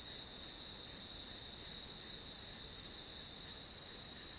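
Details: Grass insects chirping as one-hour study background white noise: a high, steady trill pulsing in regular bursts about three times a second, with faint background hiss.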